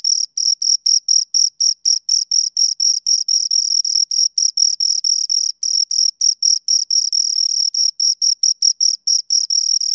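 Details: Close-range chirping from two crickets: a fast, regular series of shrill high pulses, roughly four each second, with a slightly uneven rhythm where the two callers overlap, and no other sounds.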